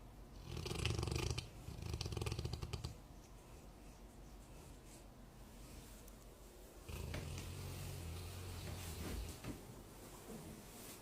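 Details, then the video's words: Sleeping golden retriever snoring softly in a quiet room. Two low, rumbling snores come close together at the start, then a long pause. A longer, steadier snore begins about seven seconds in. "Snoring Dog"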